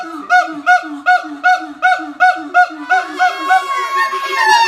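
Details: Siamang parents singing in harmony while their silent youngster clings to its mother; a call said to carry four kilometres. Regular barking notes pulse about twice a second over deep, low booms, then blur into a denser rising chorus.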